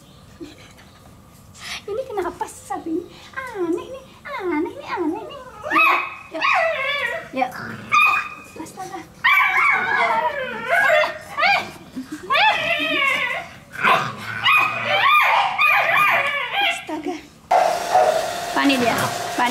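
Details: Pit Bull puppies at play let out a busy run of squeaky yelps and rising-falling whines, many overlapping, while a person talks and a harsh hiss cuts in at the close.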